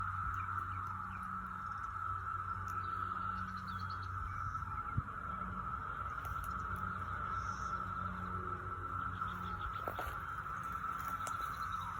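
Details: Likely over 10,000 periodical cicadas emerging after 17 years, in May 2021 in Stephens City, Virginia, make a dense, steady, unbroken droning whine at one pitch, heard up close and into the distance.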